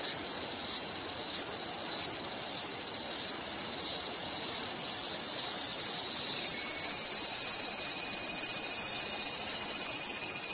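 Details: ['Cicada call that begins as a high buzz with regular louder pulses, then swells after about six seconds into a louder, unbroken shrill drone, with a faint thin whistle-like tone near the end.']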